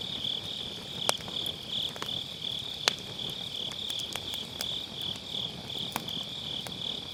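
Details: High continuous trilling of autumn-night grass insects over a round fire pit campfire, loud wood pops near one and three seconds and lighter crackles throughout; Sennheiser MKE600, low cut applied.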